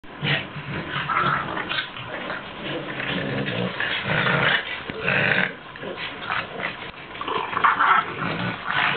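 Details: Two foster French Bulldogs play-wrestling. Bursts of rough growls and snorting grunts come and go, with short pauses between scuffles and shuffling noises from the tussle.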